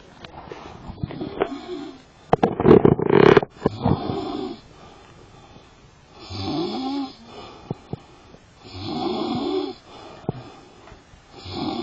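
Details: Sleeping lion at Karatsu snoring in rough, breathy cycles, each snore a wheezing rumble lasting about a second, with a louder snorting burst early on and irregular gaps between breaths.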